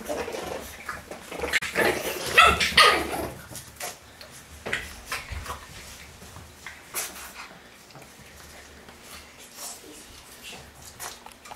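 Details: French Bulldog puppies at play indoors, giving a burst of loud yips and barks around two to three seconds in, then scattered softer yelps and scuffling sounds of play.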